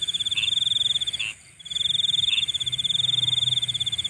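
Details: Insects calling at night: a steady, high, rapidly pulsed trill runs on with one brief break near the middle, over a fainter, higher shimmering band, with a few short, slightly lower chirps mixed in.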